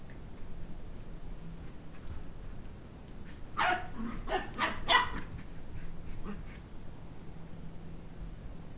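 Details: Two-month-old Sheltie puppy at play indoors, pursuing a two-year-old for a stuffed toy dog head; a cluster of quick, thin yaps and whiny barks in the middle, with low room hum and faint background sounds before and after.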